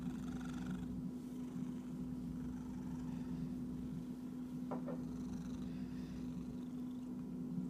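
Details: Domestic cat giving a low, continuous purring rumble with a steady droning tone throughout, broken by a few brief rustling or scratching noises near the middle.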